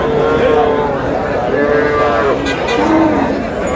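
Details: Cattle, cows with calves, at the Aftabganj cattle market in Dinajpur on July 11, 2026; drawn-out steady-pitched mooing tones, a few in a row, heard through constant crowd chatter and bargaining voices.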